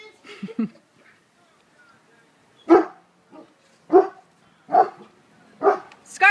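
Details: Female Border Collie barking in frustration after her frisbee landed in an unreachable spot; a run of loud, sharp single barks spaced about a second apart, with her owner repeatedly urging her to get the frisbee.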